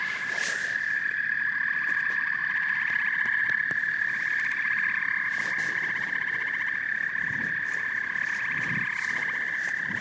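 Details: Frogs and toads in a dense chorus, with a sustained high trill and pulsing croaks, broken by scattered splashes, taps and rustling noises throughout.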